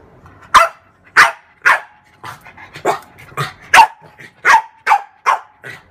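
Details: Pet French bulldog, female, playing with her mirror image; a steady series of about ten loud, short barks, some ending in a brief tonal whine, spaced about half a second apart with faint grumbles between.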